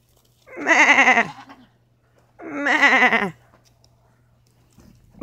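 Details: Goat on a farm giving two long, wavering, nasal bleats about two seconds apart, each close to a second long, with quiet pauses between.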